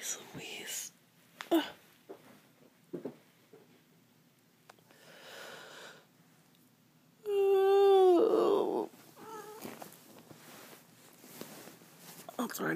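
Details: Savvy the cat in her morning fetch routine, letting out one loud, long drawn-out meow after a stretch of quiet rustling and soft whispering indoors, followed by a brief lower trailing sound.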